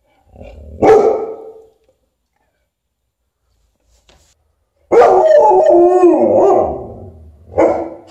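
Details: Alaskan Malamute reacting to an umbrella with a loud bark, a pause, then a long wavering howl-like woo vocalization with shifting pitch, ending in another strong bark.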